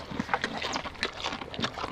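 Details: At the Belize Zoo, a baby tapir eats carrots being fed to it, with quick, irregular crunching and smacking bursts.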